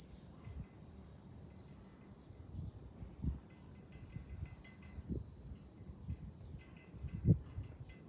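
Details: July cicada chorus heard from a hilltop overlooking Fukuoka, Japan: continuous shrill, high buzzing that jumps higher partway through, over scattered soft low thumps and faint brief ringing tones.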